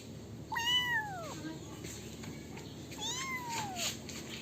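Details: Kitten giving two drawn-out meows, each rising briefly then sliding down in pitch, with a pause of about two seconds between them, over a steady hiss of background noise.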